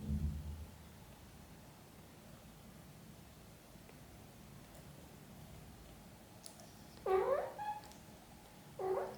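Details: Mother cat caring for her kittens indoors; after a long quiet stretch with faint rustling, two short harmonic meows sound near the end, the first wavering and slightly longer, the second brief.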